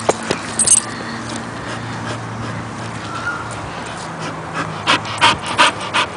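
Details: A Bull Terrier pants and sniffs in quick bursts with soft whimpers as it welcomes the family's new baby girl, while a woman speaks softly in Spanish.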